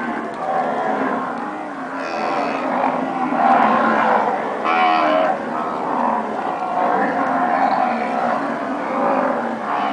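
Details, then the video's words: Herd of registered Nelore cows that have calved, mooing continuously with overlapping harmonic lows from several animals, loud and steady throughout, some calls rising and falling, voices of many cows layered together. "Vacas nelore padrão (POs), paridas."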